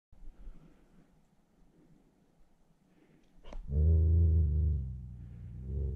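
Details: A wild wolf caught in a noose snare trap, attacking and barking, gives one deep, rough bark that rolls into a low growl after a few quiet seconds.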